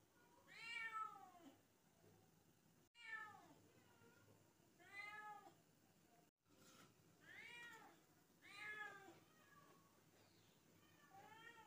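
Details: A kitten meows again and again, about six short, arched, nasal cries spaced roughly every one to two seconds, each rising then falling in pitch, with soft room noise between them.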